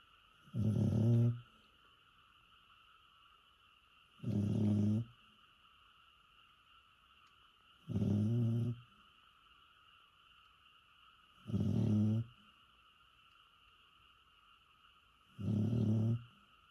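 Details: Old bedridden dog, born around 2001, asleep and snoring like a human: deep rumbling snores, each about a second long, repeating roughly every 3.7 seconds, with a steady electrical hum in the background.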